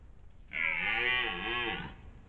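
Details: Recorded by a trail camera near the end of the autumn rut, a red deer stag gives a single drawn-out, harmonic roar.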